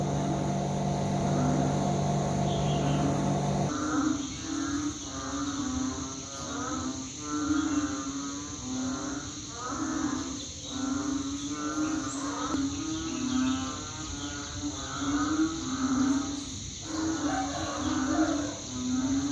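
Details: Banded bullfrogs calling in a chorus said to sound like being out in the rice fields; after a steady mechanical hum in the first seconds, deep moaning calls with rich overtones overlap and pulse almost continuously, rising and falling in loudness.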